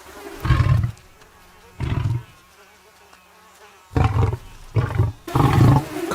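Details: Tree-climbing lions, a lioness named Carly among her sisters plagued by swarms of flies; a series of deep, low growling bursts, about five, each under a second long, separated by quiet gaps with faint insect buzz.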